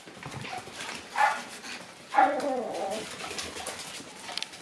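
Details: Boisterous Shiba Inu puppies at two months old give two short high yelps about a second apart, the second slightly longer and wavering, over a low indoor background hiss.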